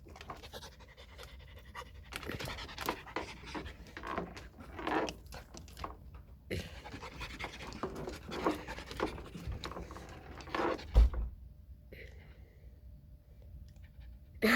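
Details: A dog panting while playing indoors: rough breathy bursts in uneven runs, with pauses and a sharp knock near the end.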